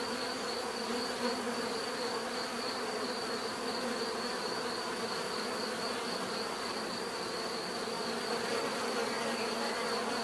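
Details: Continuous bee buzzing from many insects, a thick humming mass with overlapping tones that rise and fall slightly, and a steady faint high whine in the background.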